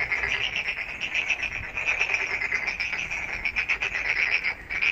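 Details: Frogs calling at night: a dense, loud chorus of rapid pulsed trills and clicking notes, overlapping continuously with no pauses.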